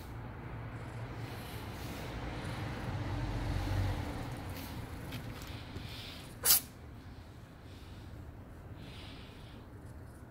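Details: Stray cat named Jeje, suffering from a cold, lets out a single sharp, explosive sneeze partway through, against a low, steady rumble of background noise.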